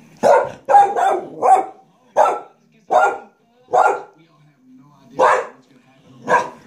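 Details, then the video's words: Alice the family dog keeps barking at a vacuum cleaner under her owner's hand. About ten abrupt barks arrive at an irregular pace, roughly one every second, with a low droning hum between them. "Alice likes to bark at the vacuum cleaner as long as my hand is on it"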